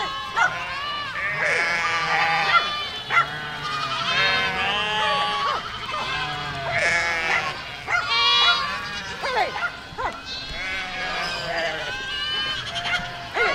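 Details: A herd of goats moves through a village, giving a dense chorus of quavering bleats that overlap almost without pause, some calls louder and nearer than others.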